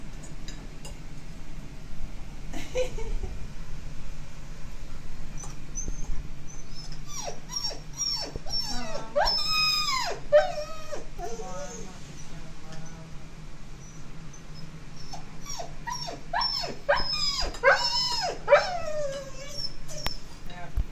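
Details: Lucy, a female Alaskan Malamute, frightened by thunder during a short summer rain shower indoors. She whimpers in high, wavering whines and sharp yelping bursts, in clusters mid-clip and again near the end, over a low steady rumble of rain.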